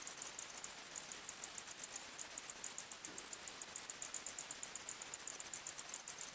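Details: At night in a forest, crickets give rapid, trilling high-pitched chirps in quick bursts, two or more callers overlapping at close pitches, over a faint hiss.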